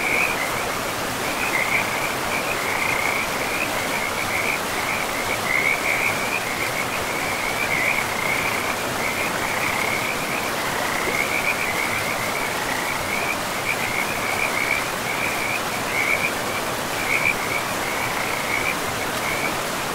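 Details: Frogs along a forest river keep up steady, rapid rattling croaks throughout, grouped in short trains, while the river's broad rushing sound fills the background.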